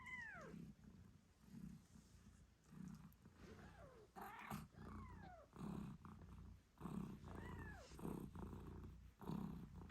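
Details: Nursing British Shorthair mother, Moon Stone, purrs in regular low pulses, roughly one each second, while her kittens eight days after birth let out thin falling squeaks and mews.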